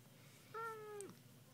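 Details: Pet cat, described as a talking kitty that dislikes penguins, gives one short level meow about half a second long, falling at the end; quiet indoor room with the owner talking just before and after.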